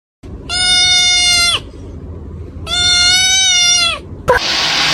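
A kitten gives two long, steady, fairly high meows, each about a second, ending with a brief rustle.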